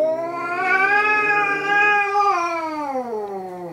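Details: Two cats, one of them black-and-white, in their third fight: one long, drawn-out yowling wail held steady, then sliding downward in pitch near the end.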